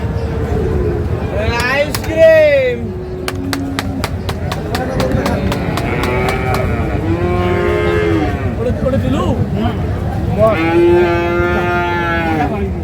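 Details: Holstein Friesian bulls for farm use at Ambari cattle market, Parbatipur, Dinajpur, Bangladesh, on 20 August 2026: a loud, drawn-out moo near the start and a second rising, wavering moo near the end, with market chatter, bargaining voices and sharp clicks between.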